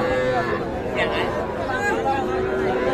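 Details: Cattle, including young bulls and heifer calves, at the traditional Ambari cattle market in Parbatipur, Dinajpur, Bangladesh, on Friday 24 May 2024; drawn-out harmonic lowing rises above a steady crowd of chattering buyers and sellers.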